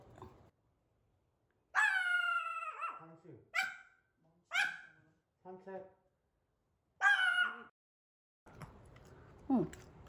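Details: Pomeranian reacting with barks to its owner in a dog mask: several high yapping barks with strong harmonics, spaced irregularly over ten seconds, some shorter softer yips between, brief faint background music at the end.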